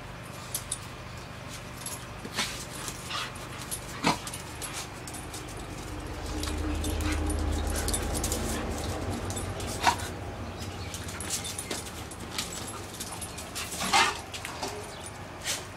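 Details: Two dogs in their usual rough play, one pinning the other, one dog making Wookiee-like noises. A low, sustained rumbling growl swells for about three seconds midway, with scattered clicks, scuffles and short yelps around it.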